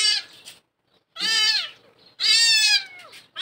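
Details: Milk-age kittens abandoned down a well mewing: three shrill, bright meows, each sliding downward over about half a second, the last one longest, separated by brief quiet pauses.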